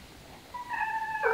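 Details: Mother cat with kittens gives a clear, tonal meow that starts softly, holds a steady pitch, then swells louder and brighter at the end, heard close up in a quiet setting.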